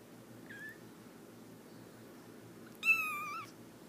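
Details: Himalayan kittens, three weeks old, give two high-pitched mews: a short faint one early, then a loud, harmonic-rich mew that holds and drops slightly, in a quiet room.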